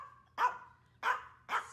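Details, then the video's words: Maltese dogs, pets named Dolce and Cozy, on a hot summer day, barking at birds: three sharp, bright barks about half a second apart, each a short burst, with a faint steady hum underneath. "Dolce does her Bark Backbend"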